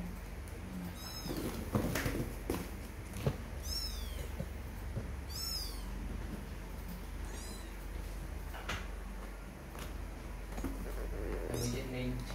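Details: Kittens mewing: thin, high-pitched cries, each sweeping down then up, come at uneven intervals, about five across twelve seconds, over steady low rumbling background noise with occasional knocks and handling sounds.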